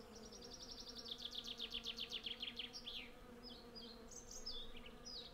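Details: Honey bees, hundreds of them, gather honey from a flowering cherry tree. Recorded with a Zoom F6 and Sennheiser MKH 8040, a steady low hum persists under a fast, pulsing bird trill early on and later whistled bird notes.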